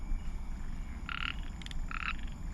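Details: Chorus frogs calling at night near a drain in Pasir Ris mangroves, Singapore, give short, nasal, buzzy notes close together with a brief higher rattling note between; tiny thumbnail-sized frogs that call in large numbers after rain.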